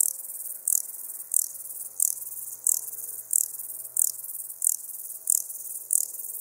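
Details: Ladder grasshopper in Muhrtal, Austria, on 9 October, picked up with an ultrasound detector: short high hissing chirps repeated at regular intervals of about two thirds of a second, over faint low background hum.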